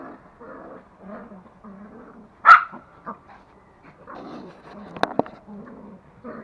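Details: Two toy Pomeranians, male Pomo and female Pomy, playing and play-fighting at home in Kathmandu, Nepal; one sharp loud bark near the middle and a couple of quick yips later, between softer grumbling and low murmuring sounds.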